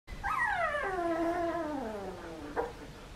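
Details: Australian Shepherd puppy, 2.5 weeks old, from a litter of registered parents Poppy and Dublin in Oklahoma. A single long, tonal whine with rich harmonics rises briefly, then slides steadily downward for about two seconds, ending with a short yip.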